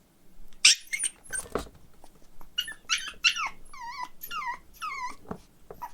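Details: Young male Pomeranian puppy, lively and fond of people, indoors: sharp yelps then a series of high, wavering whines that dip and rise, each about half a second, with a quiet room hum behind.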